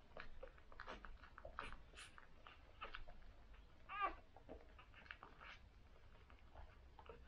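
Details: A newborn cocker spaniel litter of six suckling on day one; rapid wet smacking and sucking clicks fill the room, broken by one brief squeaky whine near the middle.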